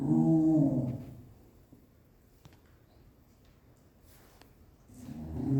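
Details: Terrier mix dog throwing a tantrum indoors, giving a low groaning grumble at the start and again at the end, separated by a quiet stretch with faint tapping.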